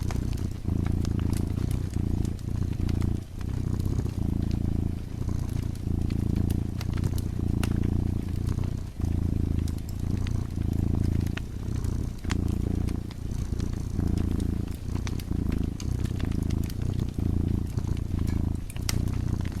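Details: Sleepy cat dozing near a fireplace, purring in a deep, even rumble that rises and falls with its breathing, with short pauses every second or so, accompanied by scattered crackles and pops from the fire.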